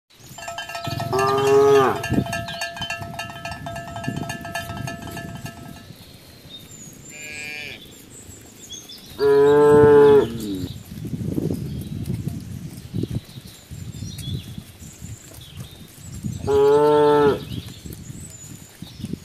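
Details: Cows gathered on a road moo three times, each loud harmonic-rich moo lasting about a second, spaced roughly seven seconds apart; a ringing cowbell-like tone sounds at the start, with low rumbling background noise between calls.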